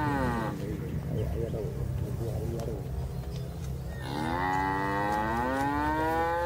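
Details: Tame calf living near its keeper in a village moos twice: a call fading out at the start, then after a rumbling pause a long, rich, slightly rising moo that runs to the end.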